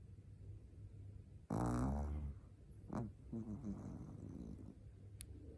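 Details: Shih Tzu puppy Nao, four months old, asleep, lets out a single strong raspy snore near the start, followed by a few faint snuffly breaths and a quiet low background hum.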